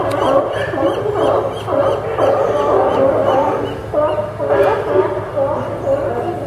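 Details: Sea lions barking at the Newport Sea Lion Docks, Port of Newport, Yaquina Bay, Oregon, on September 20, 2015; overlapping hoarse, honking barks from several animals in a steady chorus, with a low hum underneath.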